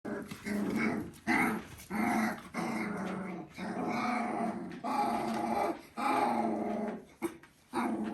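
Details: Border Collie puppies, three weeks old, indoors: rough, low puppy growls and grumbles in short bursts of about half a second to a second, repeated with brief gaps throughout.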